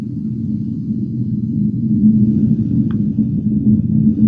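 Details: A blue whale's two-part tonal call, each part about 10 seconds with a slight pause and a small pitch drop, hums as a deep, steady moan beneath a rumbling background, recorded by a cabled observatory in Monterey Bay National Marine Sanctuary.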